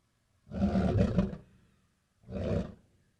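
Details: Lion giving two deep, gravelly roaring bursts, the first about a second long and the second shorter, separated by a quiet pause of roughly a second.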